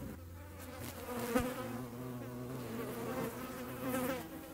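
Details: Hornet chasing flies in the Eifel, Germany: a steady low wingbeat drone with stacked harmonic bands, overlapping buzzes from flies, swelling louder around the middle and near the end.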